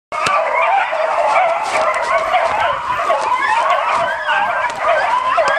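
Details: Beagle on a hunt giving a steady chorus of high, wavering baying and yelping howls that overlap continuously, loud and close throughout.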